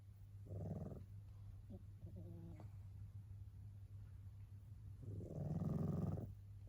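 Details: Tabby cat fast asleep and snoring, described as sounding much like a person: two drawn-out, throaty rumbling breaths about five seconds apart, with faint small clicks between them and a constant low hum behind.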